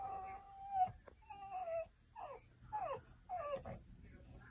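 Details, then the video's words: French Bulldog whining: a series of high, drawn-out whimpers, some level and some sliding downward, about five in a row with short pauses, over a faint low hum. "Bulldog francés"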